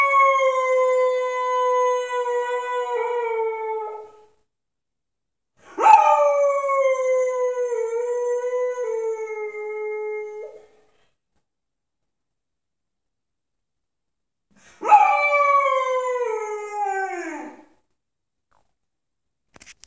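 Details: Moose, an unhappy 10-month-old pit bull puppy, howls three times indoors; mournful drawn-out cries of about three to five seconds, each opening with a sharp attack and sliding downward, separated by several seconds of silence.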